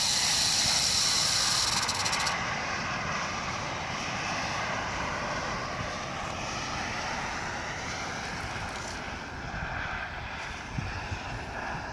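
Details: Steady aircraft engine drone fills the recording, loudest during the first two seconds, then a broad rushing roar with no animal voice audible.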